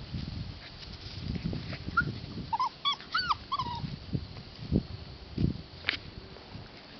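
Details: Rescue puppies, a Husky and Lab mix, give a short run of high, whimpering yips with bent, rising-then-falling notes over about a second, set against soft thumps and shuffling movement.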